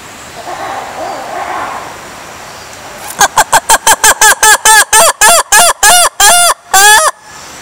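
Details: Black-and-white ruffed lemur singing in Madagascar: after about three seconds of faint background hiss, a sudden loud burst of harsh, braying barks, about fifteen in four seconds, with the later calls growing longer and more drawn out.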